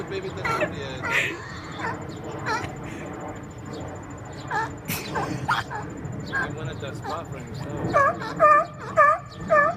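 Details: Seals on rocks argue over space, trading harsh, wavering, nasal moans and rising-falling wails in quick bursts near the end. A smaller female's baby may be among them, and people talk and laugh nearby.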